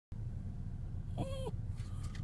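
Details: Otis, a pet poodle with separation anxiety, left at home while his owner is away at the grocery store: one short tonal whine, rising slightly, holding, then dropping, about a third of a second long, with a fainter whimper after, over steady low rumbling background noise.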